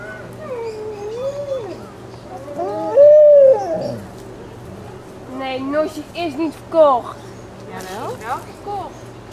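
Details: Alaskan Malamute pups, 26 days old, from Ciqala's litter at Sakima Kiwidinok, recorded 20 September 2009: wavering, tonal whines and short howls rising and falling, a louder drawn-out cry near the middle, with soft human voices underneath.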